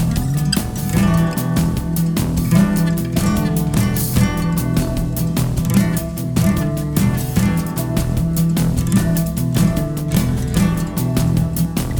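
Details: Loud guitar and drum music plays throughout, with no animal sound.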